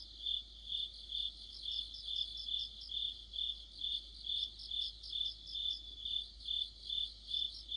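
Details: High, shrill cricket chorus in autumn with several insects calling together; the sound beats in steady swells a little over twice per second, with a busier chirping voice woven through the first half.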